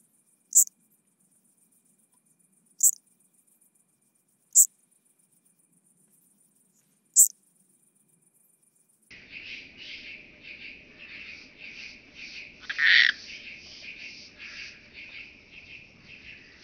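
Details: Chabrier's marbled bush-cricket, Arzo, Switzerland, August 2023: four crisp, very high chirps spaced two to three seconds apart, then a lower, pulsing, buzzy stretch with one louder burst.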